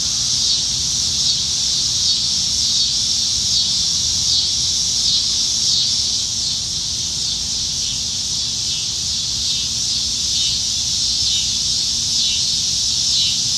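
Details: Cicadas singing up in the trees on a Nebraska summertime evening in July 2019, dog days of summer: a dense, continuous high buzzing chorus that swells and pulses slightly without pause.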